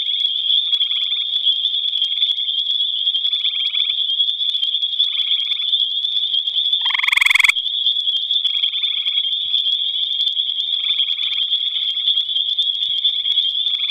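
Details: Gray tree frog singing at night in the Albany Pine Bush: one loud, short pulsed trill near the middle. Fainter trills repeat about every second and a half under a steady high insect-like drone.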